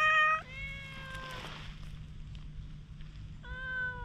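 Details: Wary stray cat, filmed on a GoPro, gives two clear meows: a short bright one at the start and a long flat drawn-out one, then a third meow near the end after a quiet gap with a low hum.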